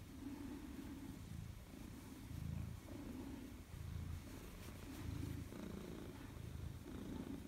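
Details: Maine Coon cat at home greeting its owner on return, 4 December 2019: steady low rumbling purr rising and falling with each breath, roughly every 1.4 seconds, close to the microphone with faint room noise.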